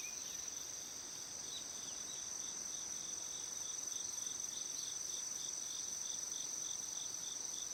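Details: Cricket song recorded around 6:47 in the morning in Shikokuchuo, Japan, on 25 August: an unbroken high-pitched ringing plus a regular train of short chirps, about three per second, over faint background hiss.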